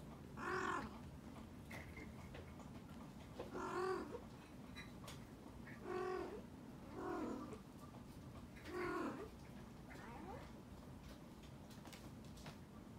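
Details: Mother cat cleaning her kittens, giving five short, wavering, meow-like calls spaced a few seconds apart, each rising then falling, over a steady low background hum.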